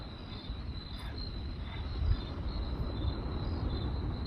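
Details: Crickets at night beside a crackling campfire: a steady, high, thin chirping repeated in quick pulses, set against a loud, low rumble and the pops and snaps of burning wood.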